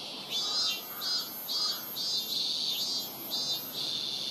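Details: Robust cicada at a Tokyo shrine, Rokugo Shrine in Ota Ward, recorded with a Sony PCM-M10. Loud, high-pitched throbbing pulses repeat steadily about every half second.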